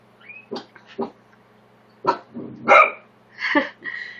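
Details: Pet corgi, one of three puppies kept from a litter of nine, barking at a tortoise indoors; a series of short sharp barks and yaps at irregular intervals, some higher and more strained, over a faint steady room hum.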